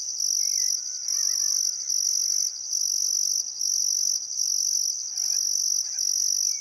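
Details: Crickets by the Barcoo River, Welford National Park, Outback Queensland, on a still summer afternoon at sunset; piercing continuous chirping in rhythmic bursts, a quiet wavering birdsong weaving underneath.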